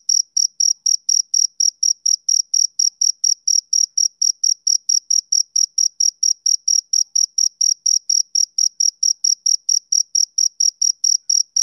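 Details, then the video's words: Rapid, regular chirping from a male cricket, bright high notes pulsing roughly four times a second without pause over a silent background. "Cricket Chirping Sound Effect"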